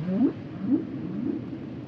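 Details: Humpback whale song: short rising moans sweeping upward in the low-middle range, two clear upsweeps about half a second apart, then a fainter third, over a steady hiss of underwater background noise.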